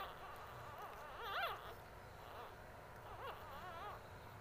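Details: Two male English Bulldog puppies give thin, wavering squeaks and whimpers while their mother nurses them.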